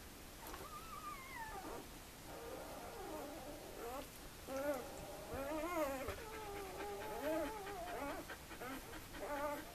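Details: Two-day-old puppies in a litter; overlapping thin, wavering whines and squeals, several pups calling at once for about ten seconds, with soft background hiss.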